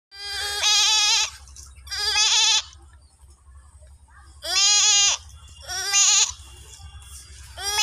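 A goat gives loud, wavering bleats in bursts about a second long, with pauses between.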